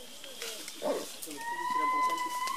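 An indri gives a long, steady wailing tone that rises slightly at the end, with people talking.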